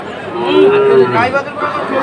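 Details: Sahiwal bull calf, about five months old, among calves bought by a farmer in Comilla, Bangladesh, on 6 July 2024; one steady, level moo of under a second over a background of voices and chatter.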